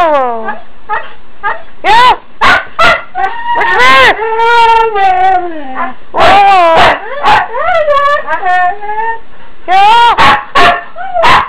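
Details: Morning chatter from huskies, Holly among them, wanting to go out: loud, continuous talking howls rising and falling, broken by yips and short barks, with a person speaking to them.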